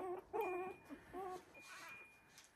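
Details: Young Havanese puppies, three weeks old, settling into a sleeping pile in an expanded whelping box; drawn-out whiny whimpers with wavering pitch, two main cries then softer fading ones and a thin steady background tone.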